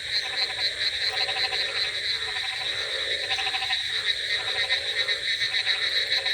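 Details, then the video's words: Frogs croaking on a rainy night: rapid pulsed croaks in short bursts about once a second, over a steady high hiss of rain and a dense background chorus. "Frogs Sound Effects With Rainy Night Ambience |Frogs Crocking Sounds"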